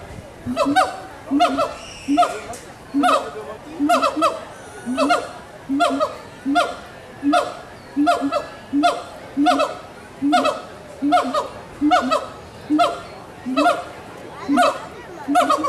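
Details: Gibbons calling to each other at Animal Kingdom, Walt Disney World, in 2018. Regular upslurred whooping notes repeat a little faster than once per second, loud and evenly spaced, over soft ambient crowd sound.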